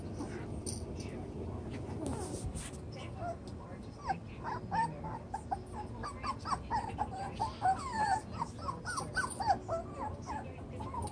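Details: Chocolate brown Toy Poodle puppies, seven weeks old, romp in a newly doubled pen; after a quieter start, a rapid stream of short, high squeaky yips and whimpers overlaps from several pups against a steady low background rumble.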